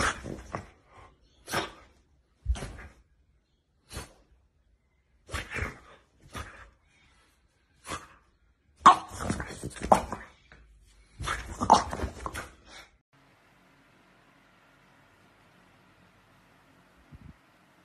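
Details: French Bulldog puppy indoors, giving short, sharp barks in irregular bursts, some clustered in quick doubles and triples, falling silent after about thirteen seconds.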